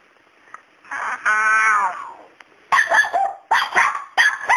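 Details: A long tonal whine rises and fades, then a male dog barks in several harsh bursts at a cat named Miracle that stays unbothered by him.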